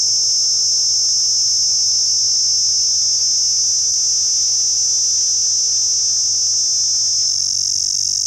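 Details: A cicada in Pakistan gives a loud, steady, high-pitched buzz that continues without a break.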